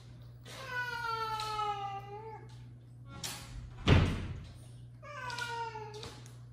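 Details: Domestic male cat scolding a female cat, the two out of sorts with each other: two long, drawn-out harmonic meows, each holding steady then sagging slightly in pitch, separated by a sharp thud, over a constant low electrical hum.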